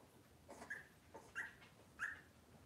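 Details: Cavalier King Charles Spaniel puppies from Robin's litter, indoors on a kitchen camera on a cloudy Monday morning: three short, high whimpers spaced about seven tenths of a second apart over a soft, steady background hiss.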